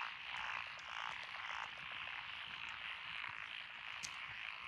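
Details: Frog chorus from lotus rice paddies along a country road in Echizen, Fukui, Japan, recorded 12 June 2021, with Japanese tree frogs, pond frogs, wrinkled frogs and green tree frogs. Dense overlapping croaking forms a continuous trilling wall of sound with rapid pulses.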